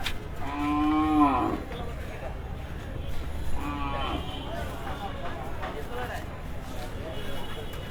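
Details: Cattle from Kushtia arriving at a Dhaka cattle market between two and three at night before Qurbani. Two loud deep moos, the first longer and falling at the end, stand over a constant low rumble and crowd noise.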